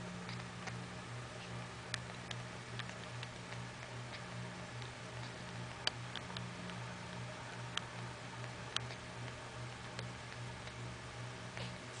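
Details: Faint irregular ticks and soft clicks over a steady low hum in a small indoor room; no animal voice stands out.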